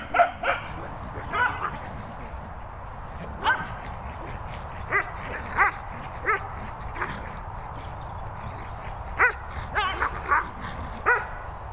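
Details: Cocker Spaniel Jess playing with a Dalmatian Border Collie, short repeated barks and yips in bursts, a pair at the start and more through the middle and end, with a person giving commands.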